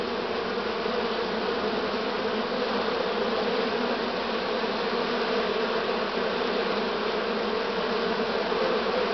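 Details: Western honey bee swarm, this year's late swarm, on 6 September 2019, makes a dense, steady hum from many wings beating together.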